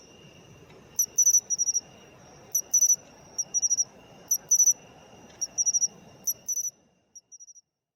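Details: Matsumushi (pine cricket) filmed while calling, a sound of autumn, rendered in Japanese as chin-chiro-rin: bright, high ringing chirps in quick clusters of two to four pulses, repeating about every one and a half seconds over a faint low rumble that stops near the end.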